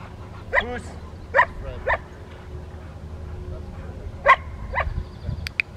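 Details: Rottweilers at an obedience training session with distraction at the Victoria Rottweiler Club, May 2, 2021: sharp single barks at about 0.6, 1.4, 1.9 and 4.3 seconds, spaced unevenly, with people talking and a low background hum.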